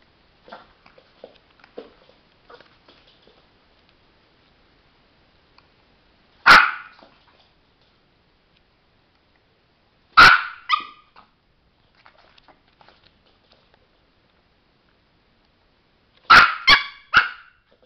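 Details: Sparky, a pet chihuahua trained in tricks, indoors where he watches a light and red spot and wants to push the button; sharp, high barks ring out singly, then in a pair, then a rapid burst of three, with soft tapping between.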